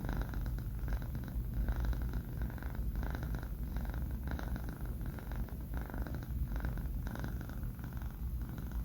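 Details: Low, even purring snore from Banh Mi, a male cat aged four months, dozing indoors; gentle breathing pulses repeat steadily over a quiet background.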